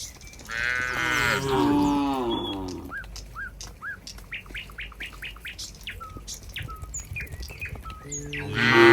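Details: Cows in a barn as a gentle cowherd walks toward it in a rural countryside scene: one drawn-out, low lowing moo, then a run of short, bright bird chirps, with another moo beginning at the end.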